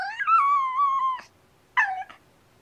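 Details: Female kitten, one of two rescued sisters, vocal and chatty while playing with toy springs indoors; a long drawn-out meow wavering then falling, followed after a pause by a short second mew.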